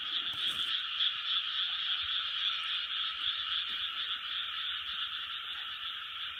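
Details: Massed frogs croaking in chorus, recorded in 2020: a thick, continuous high-pitched rattle of rapid overlapping calls, slightly louder at first, then holding steady to the end.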